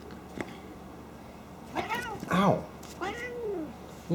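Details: A playful pet cat snorting like a pig during play, not in anger. Short strained calls start and stop, then a louder pair of bending nasal cries and a final curving wail, with a woman's voice nearby.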